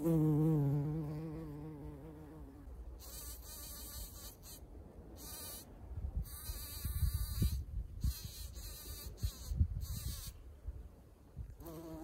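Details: Bees at anemone flowers: a loud, wavering buzz opens the recording, sliding up and down as a bee passes near, then fades under rustling and thumping handling noise, with another buzz returning at the end.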